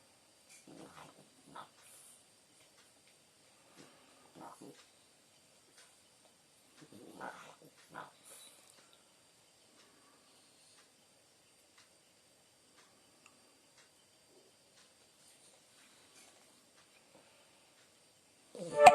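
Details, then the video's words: A sleeping French Bulldog snoring: short rough, rasping breath bursts in clusters near the start, around four seconds and at seven to eight seconds, then a long near-silent stretch, ending in a sudden loud knock. "французский бульдог Бонита храпит"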